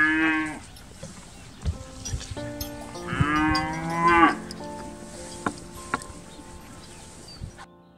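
A calf gives two strained, harmonic moos, the second longer and wavering, with faint clicks around.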